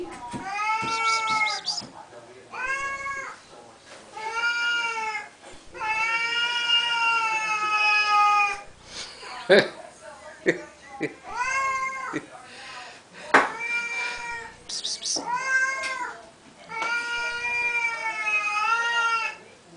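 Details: Siamese kitties at morning feeding time indoors, fed morning and night: a long run of loud, insistent, wavering meows, several overlapping and drawn out, interrupted by sharp clicks and clatter, with a person talking to them.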